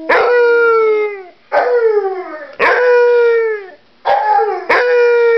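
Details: Copper the dog howling with a bone: loud, sustained howls, each falling gently in pitch and lasting about a second, repeated four or five times with brief gaps between them.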